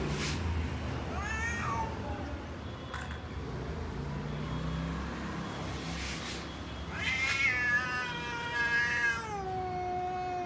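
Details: Meowing from cats in a garden, named as a lion cat, a tall cat and a short cat: a short meow early, then a long wavering drawn-out cry that slowly falls and fades, over distant traffic noise.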